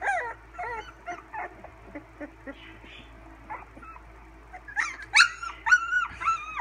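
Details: Sixteen-day-old English Springer Spaniel puppies in June 2016: faint, short, squeaky whimpers repeating roughly twice a second, building into louder arched howling whines near the end, over a constant low hum.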